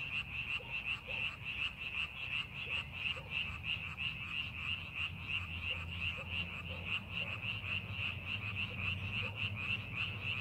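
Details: Frogs in paddy fields under farming preparation keep up a continuous rapid croaking, evenly pulsed and buzzy, with occasional deeper single croaks and a low background drone.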